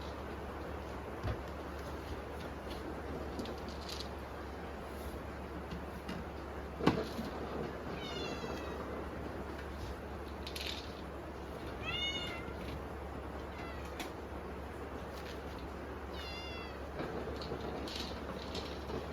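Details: Dinner-hungry kittens during a typhoon give a few scattered, thin meows, some quavering, spaced several seconds apart beneath loud steady rain and occasional clicks.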